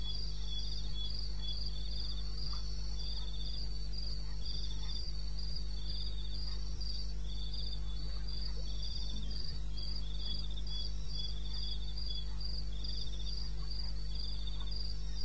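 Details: Crickets calling at 02:30 at night on 21 May 2016 in the wilderness of eastern Botswana: high, rhythmic trains of short pulsed chirps, two callers at slightly different pitches overlapping steadily, over a constant low hum.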